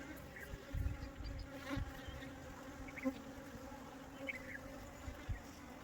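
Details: Western honey bee (Apis mellifera) swarm being captured and reinstalled in its hive: a steady, low droning buzz with handling thumps mixed in.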